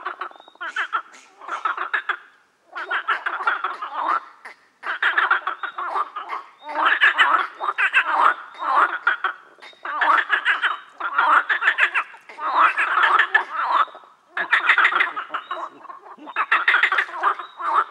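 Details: Frog chorus croaking in dense rattling bursts about one to two seconds long, separated by brief pauses, several frogs overlapping into a continuous pulsed, raspy concert.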